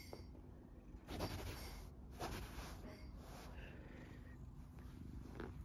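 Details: Golden tabby Scottish Fold cat purring loudly and staying calm while being played with and teased indoors; steady low rumbling purr throughout, with occasional handling rustles and soft thumps.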